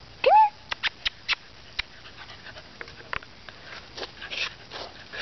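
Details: Beagle giving one short, loud, rising whine near the start, followed by scattered soft clicks and taps in a quiet room.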